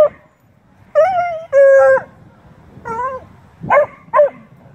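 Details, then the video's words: Beagle/shepherd and bluetick dogs talking during play, giving drawn-out, flat, howl-like bays lasting about half a second each, with rich stacked harmonics, ending in two shorter yips. "Beagle/shepard and Blue tick talking and playing"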